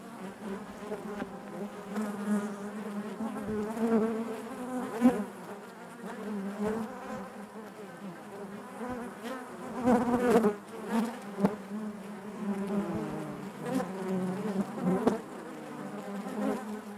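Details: Honey bees buzzing inside their hive: a dense, steady drone with overlapping wingbeat tones, swelling and fading in waves, with brief louder surges near five and ten seconds as bees pass close.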